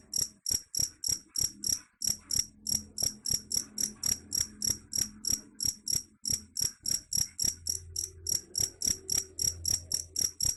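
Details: A cricket, said to drive rats away, chirps in a fast series of high, piercing pulses about three and a half per second, briefly pausing now and then, over a faint low droning hum.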